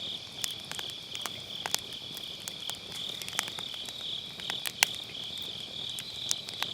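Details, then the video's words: Grass insects trilling on an autumn night next to a round fire pit, recorded through a Sennheiser MKE600 with low cut: an unbroken high insect drone under frequent sharp pops and snaps of burning firewood. "가을밤 풀벌레 소리"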